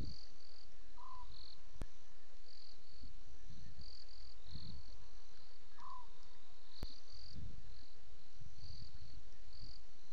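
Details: Leopard sawing at night, around 2 a.m. on 25 September 2016: a series of low, rasping strokes repeated roughly every second. Steady cricket chirring continues throughout, and a short bird note repeats every few seconds.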